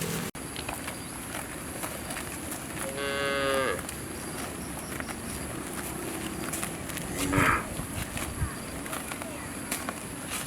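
A cow gives a single drawn-out moo with rich harmonics, followed later by a brief coarse bellow.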